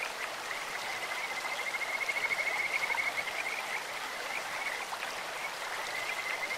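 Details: Kajika frog calling beside a clear stream, its voice likened to a bird's or insect's: a high, thin, pulsed trill held steady for over a second, with shorter trills following, all over constant rushing water.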